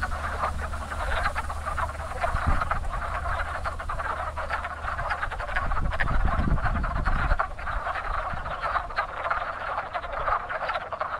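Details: Spring chorus of wood frogs at a very active breeding pond; countless short, hoarse clucking croaks run together without pause, with a strong low droning background and brief low thumps.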